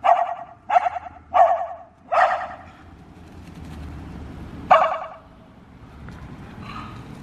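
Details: Reese, a dog, barking at cars on 29 January 2024: four sharp barks in quick succession in the first two and a half seconds, a pause, then one more loud bark near the five-second mark, with faint background hum.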